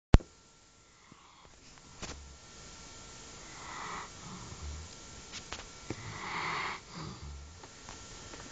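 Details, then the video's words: Kasta, a sleeping alabai (Central Asian Shepherd Dog), snores indoors: soft low snorts and breathy sniffs rise and fall every few seconds, with a sharp click at the start and a quiet room hum. "Моя собака Каста храпит во время сна"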